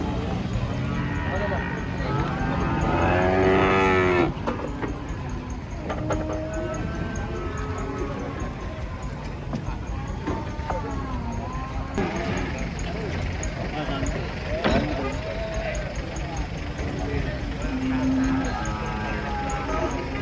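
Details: Big, fierce bulls unloaded from a truck low again and again over twenty seconds. A loud bellow comes early, then shorter, wavering moos from several animals follow, with steady engine-like rumble and occasional human voices behind.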